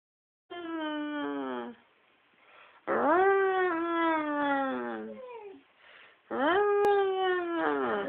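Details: Pet dog "singing" in drawn-out, wavering howls: three long tonal phrases with rich harmonics, each starting higher and sliding downward, with short quiet breaks between them.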